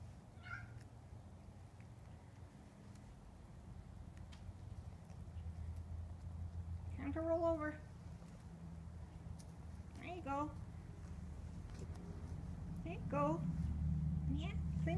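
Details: Indoor patio cat let outside, acting oddly and rolling in grass; three short wavering meows arrive about three seconds apart over a low steady rumble, with a person's voice nearby.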